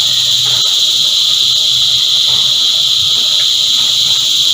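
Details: Chorus of cicadas producing a continuous shrill metallic buzz, even in pitch and loudness from start to finish, with no breaks between callers.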